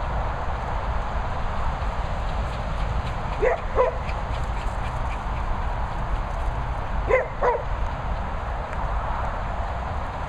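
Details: Dogs arguing at a training and boarding kennel in the Worcestershire countryside, England: two pairs of short, high, sliding yelps or whines, the pairs about four seconds apart, over a constant broadband background hiss.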